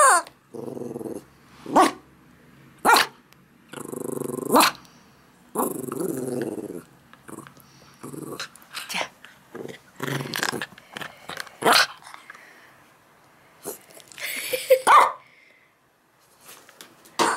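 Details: Max, a male yorkie-schnauzer mix born June 2006, at morning play time: rough rumbling growls in bursts of one to two seconds, separated by sharp knocks and clatter from the play.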